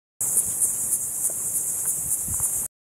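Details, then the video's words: Cicadas recorded on August 7th 2023, a continuous high-pitched shrill drone with a steady pulsing shimmer, faint low rumble underneath. "August 7th 2023 cicadas"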